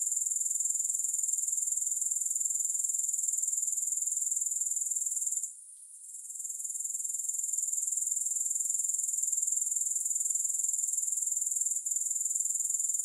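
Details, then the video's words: Soothing grasshopper chorus without music: a dense, sizzling high-pitched trill pulsing quickly and evenly. It fades out for about a second midway, then swells back to a steady level. "3 Hours of Grass Hopper Sounds"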